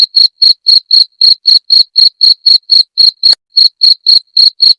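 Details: Cricket, known locally as jangkrik genggong, calling to drive off rats: a rapid train of bright, high chirps at about four per second, steady rhythm with a single brief break, nothing else audible.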